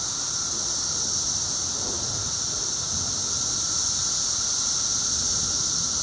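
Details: Seventeen-year cicadas at maximum volume two weeks post-emergence, a seamless shrill hissing wall of sound holding steady from start to finish.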